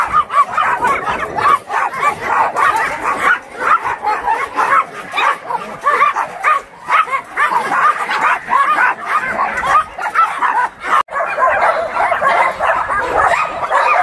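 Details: Abandoned dogs at a shelter for abandoned dogs in Yangsan, many barking at once in a dense, continuous chorus of overlapping sharp barks and yips with hardly a pause.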